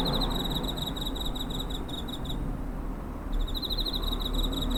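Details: Cricket calling near a home, 7 September 2023, TASCAM DR-05 recorder: a fast, high, ringing pulse train lasting over two seconds breaks off for about a second, then resumes, set against low background hum.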